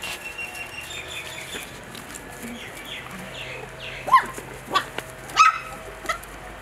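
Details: Bordoodle x cavoodle mini doodle puppies playing and eating; after a quiet stretch of faint shuffling, a handful of brief, thin yips and squeaks come in the second half.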